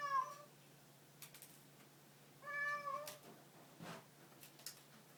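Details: Domestic cat with a short meow at the start and a longer, wavering meow shortly after, followed by soft rustling and tapping noises as the cat goes quiet.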